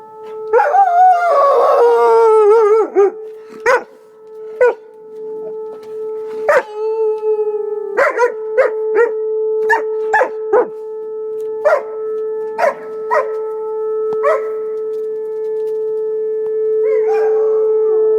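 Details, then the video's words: Alaskan Malamute reacting to a tornado siren: an opening wavering howl for about two seconds, then a long series of short, irregular yips and clicks, all above the siren's continuous steady drone. "Malamutehowling at tornado siren"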